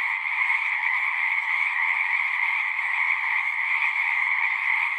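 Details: A continuous chorus of singing frogs, countless callers blending into an even, shimmering trill pitched high, with no pauses or rise and fall in volume, heard as relaxing natural sound.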